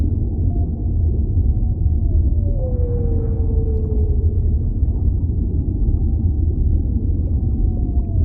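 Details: Whale underwater, giving a long, smooth tonal moan that glides slowly downward in pitch and then fades. A steady deep rumble of ocean ambience runs underneath throughout.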